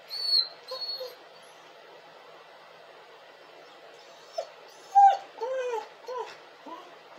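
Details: A crying dog gives two thin, high-pitched whines, falls quiet for about three seconds, then breaks into a run of arched, sobbing whimpers and one sharp yelp-like cry.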